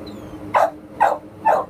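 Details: Shelter American Pit Bull Terrier up for adoption gives three brief, clipped barks evenly spaced roughly every half second, with a faint background hum and a thin whine early on.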